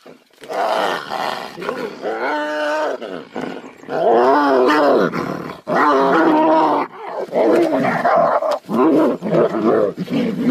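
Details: Tigers fighting, giving loud, harsh roars and snarls in overlapping bursts, each a rough harmonic growl that swells and breaks off, nearly continuous across the clip with short gaps of silence between outbursts.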